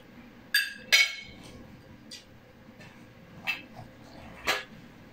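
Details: A Pekingese standing up to beg for food gives short, sharp, high yips at irregular intervals.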